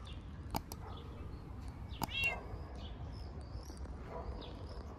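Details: Stray cat lounging on a car in the street, greeting a person; one clear rising-falling meow sounds midway over a low rumble, with a few sharp clicks and faint bird chirps around it.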